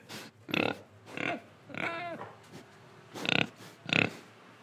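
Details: Indonesian pig oinking and breathing, short nasal grunts spaced irregularly, one longer wavering squeal-like oink in the middle, with quiet breathy snorts in the gaps.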